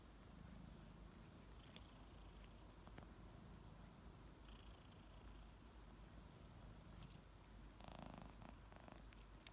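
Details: Two kittens waking up in the morning indoors, purring heavily while licking; a low, steady rumbling purr runs throughout, with brief brighter rustling and licking noises scattered over it.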